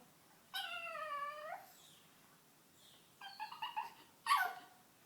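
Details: Pet female pug, reacting to her owner's laughter, gives a wavering whine of about one second, followed by a quick run of short choppy yips and one sharp, louder squeak.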